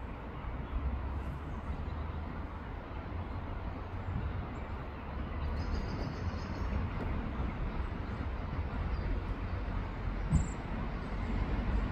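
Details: Steady low rumble of passing traffic or a train fills the recording, with no clear bird or other animal voice.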